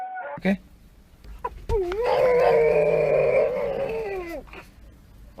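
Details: Dog that wants to go for a walk gives a quieter, wobbling howl held for about two seconds. Clicks and handling knocks sound before and after, with low background rumble.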